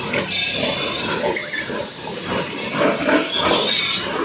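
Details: Newborn piglets in a litter of ten, two of them weak, born overnight on a piggery farm, make a dense, continuous mix of harsh squeals and grunts that rise and fall in loudness.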